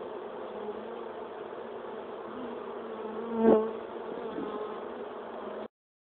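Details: Returning swarm of western honeybees at the hive around 5 pm at sundown following a typhoon, queen's wing clipped; even, thick buzzing with a single sharp close flyby midway, ending abruptly in silence.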